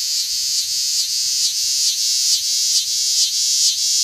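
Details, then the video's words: Big green cicada in Lancaster County, Pennsylvania, recorded August 18, 2016, producing a loud high buzz broken into rhythmic pulses, roughly two to three per second. "Nathan's Big Green Cicada"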